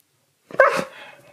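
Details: Pet male Husky 'talking back' indoors during a disagreement over whether he is fed enough. A single sharp, yelping bark-howl that trails off into a fading, slightly descending tone, with no other sounds.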